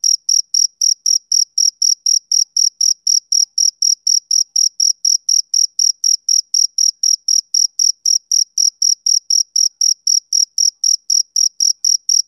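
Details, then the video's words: Steady high chirping of a male cricket, clipped pulses repeating about four times a second in an unbroken run, nothing else audible. "Cricket Chirping Sound Effect"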